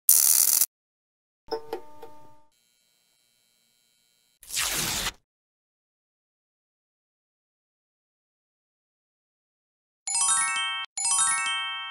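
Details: Short bursts of noise and a brief crackling patch with a faint held tone, then two bright, ringing chime-like tones near the end, with silence between them and no animal voice.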